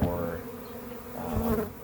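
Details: Brief burst of a honey bee swarm humming in a backyard as it is gathered into a hive, a continuous low drone with faint handling noise.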